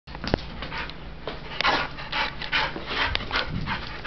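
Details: Oreo, a retriever up for adoption, recorded 8/1/2011, panting in quick breathy bursts of broadband hiss, each puff short and rasping, with a few sharper clicks and a low steady background hum.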